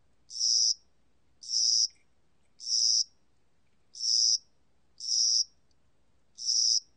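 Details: High-pitched buzzy chirps of a spring-and-summer cricket, recorded in 2020 by the National Institute of Biological Resources. There are six short trills in seven seconds, about one per second, with a longer pause after the third.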